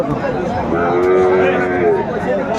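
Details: Sahiwal bull calf at a cattle market, Chattogram, Bangladesh, 14 January 2025: one drawn-out, steady harmonic moo lasting over a second, set against a constant murmur of market chatter and nearby voices.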